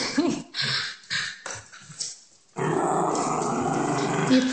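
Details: Schnauzer named Eva keeps an empty peanut butter jar during an indoor chase game. A few short scuffles and voices come first, then a steady, gravelly growl runs without a break to the end.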